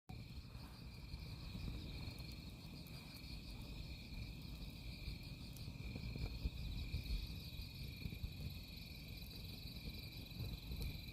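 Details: Crickets at a campsite trill continuously in steady high bands, with a faster pulsing layer above. Heavy low rumbling noise sits underneath, with scattered sharp crackles like burning firewood.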